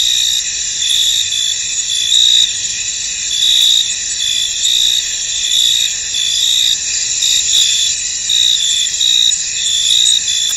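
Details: Misty field at night-like calm, crickets producing an unbroken shrill chorus; sharper chirping pulses swell and fade irregularly over the steady high hum throughout.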